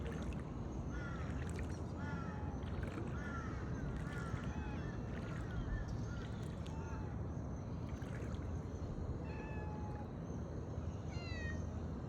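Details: Domestic cat stranded in a flood, meowing during a rescue by boat; several thin, arching harmonic meows recur through steady low rumbling water and engine noise, with a person's voice calling softly.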